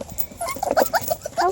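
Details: Tiny five-week-old Beagle puppies, active and noisy after eating, make short squeaky yips and whimpers in a quick uneven burst.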